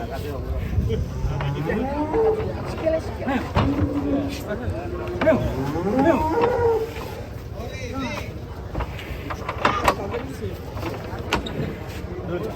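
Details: Large fattened cattle being loaded onto a truck give drawn-out, wavering moos, several overlapping between two and seven seconds, amid men's shouting voices, a running engine and metallic clanks.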